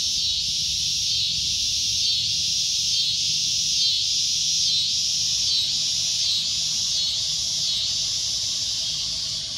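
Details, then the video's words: Loud shrill droning of a cicada: an unbroken high-pitched buzz with a gentle dip repeating about every second, steady throughout. "CICADA A Loud Shrill Droning Noise"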